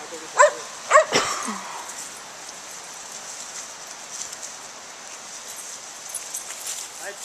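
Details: Daisy, a Gray's Mountain Feist, out squirrel hunting: three sharp barks within the first second and a half, then only a steady high insect drone with soft outdoor rustle.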